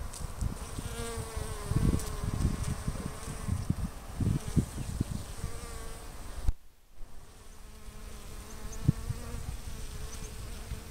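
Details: Western honey bees (Apis mellifera) on garden blossoms along the Fresno County Blossom Trail, February 2011, hum with a steady, low wing buzz that swells and fades as they fly close.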